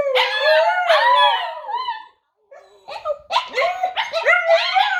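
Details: A 7-month-old husky cross (pomsky) sitting beside its owner howls in long, wavering tones when prompted to howl, trying to copy the howl it hears.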